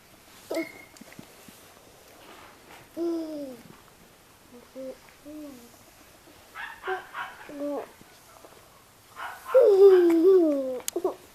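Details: Miniature Australian Shepherd puppies indoors, giving thin high whines and short falling yelps, scattered at first, then a louder wavering whimper near the end, with faint rustling in a quiet room.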